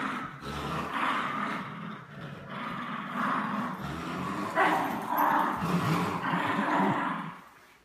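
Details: Two dogs, a French Bulldog and a Bichon Frise, playing tug of war; continuous rough, rumbling growls rising and falling in waves, with a sharper burst near the middle.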